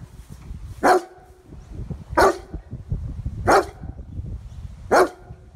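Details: Young male German Shepherd, described as overly defensive and suspicious of people and prone to dog aggression, barks four times, single sharp deep barks spaced about every one and a half seconds over a low rumbling background.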